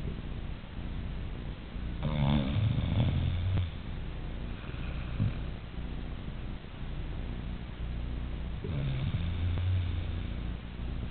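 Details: A Siberian Husky snoring much like a person, with low, rough, rattling breaths and two louder snorts rising in intensity before fading back to a soft rumble.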